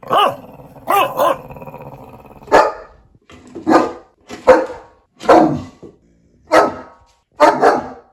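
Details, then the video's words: Puppy barking: a few wavering yelps over a low growl, then a series of rough, hoarse barks about one per second. "Puppy Barking Sounds. 20 Adorable Puppy Barks!"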